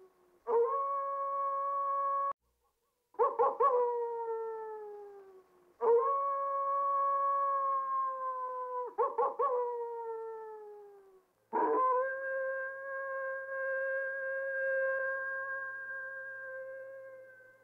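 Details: Coyote howling in a series of long, steady, harmonic howls, each opening with a short broken yelp and sliding slightly downward before it stops, repeated about every three seconds, the last howl held longest, with no other sounds.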